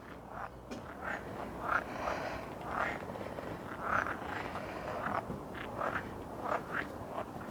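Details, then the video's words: Frogs calling unseen at a wishing pond in the Moscow Botanical Garden, Russia; short mid-pitched croaks repeat roughly every half second to second over a steady murmur of outdoor background noise. "đối với tôi! Bạn có nghe thấy tiếng ếch không?"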